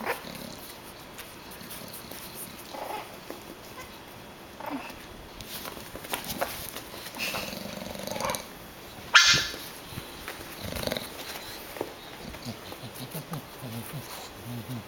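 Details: Four-week-old pug puppies, several together and unhappy with their new collars, giving low grumbling growls and small scuffling noises, with one sharp knock midway and a person talking nearby.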